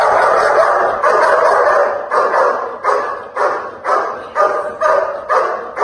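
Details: Repeated loud dog barks during protection work, coarse and forceful, falling into a beat of about two per second after a dense opening burst.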